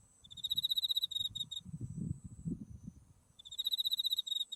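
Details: Autumn insects calling beside a white-flowering buckwheat field, Mount Tsukuba in the distance: two bursts of rapid, high pulsed trilling separated by a short pause, over a continuous thin high-pitched whine and low rumbling background.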